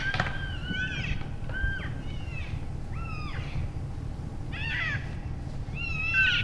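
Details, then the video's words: Energetic elk bulls sparring after the rut in January; a run of high, arched squealing chirps, some bending sharply down, repeated every second or so above a low rumbling background. "Vocal Elk Bulls Sparring After the Rut"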